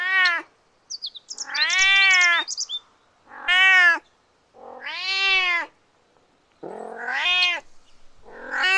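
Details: Kittens playing on green grass give loud, harmonic-rich meows, about six calls in under nine seconds. Some are drawn out and wavering, others short and rising, with a brief high chirping between them.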